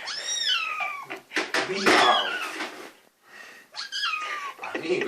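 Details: Hungry little kitten meowing while being teased by its owners before feeding: loud high descending meows, three in five seconds, mixed with Finnish speech close by.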